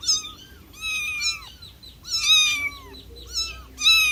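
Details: Meowing cat: insistent, closely spaced high meows, some long and falling at the end, others short, with a brief low scratchy sound in the pauses.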